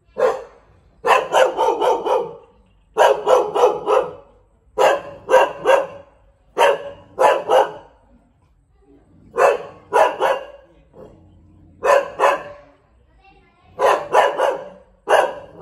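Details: Thai Bangkaew dog barking persistently, rapid volleys of three to five hard barks repeated about every two seconds across the recording, with brief quiet gaps between bursts.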